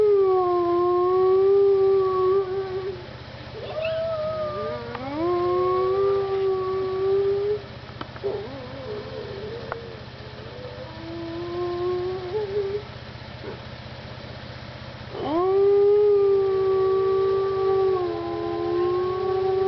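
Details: Howling wolves at Parc Oméga on 7 March 2013, several voices overlapping in a chorus of sliding howls at different pitches, with a fresh loud howl rising near the end.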